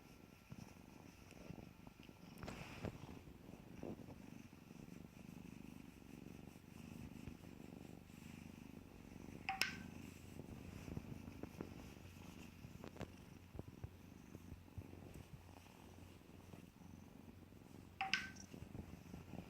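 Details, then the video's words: Playing kittens give a soft, continuous low purr, a quiet rumbling bed under scattered light knocks. Two sharper clicking sounds stand out near the middle and the end. "Gatos jugando"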